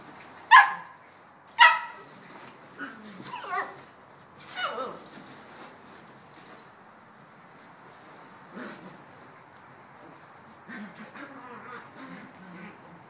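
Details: Bouvier des Flandres puppies, 7.5 weeks old, playing and complaining they have not had breakfast: two sharp high yelps close together, then drawn-out whimpers sliding downward, followed by softer scattered whines.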